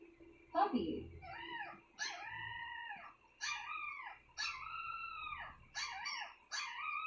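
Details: Pet dog producing annoying sounds: a yelp, then a run of six arched, howl-like whines, each rising and falling in pitch and lasting about half a second to a second, repeated roughly every second, with a faint low background hum.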